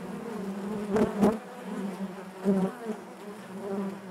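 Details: Steady humming drone of honey bees in their hive, a low buzz with layered overtones, broken by brief louder surges near one and two and a half seconds as bees move near.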